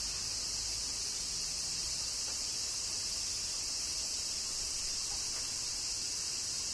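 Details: Summer cicadas singing during rain in Kyoto, Japan, a continuous high-pitched droning wash that never pauses or changes pace, with only faint low rumble beneath.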